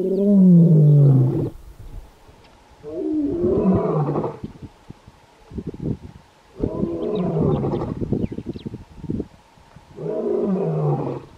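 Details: Kgalagadi lion roaring to tell rivals to keep away and to locate pride mates; four powerful roars spaced a few seconds apart, each a harsh descending bellow followed by rough grunting breaths, with faint high bird calls in the background.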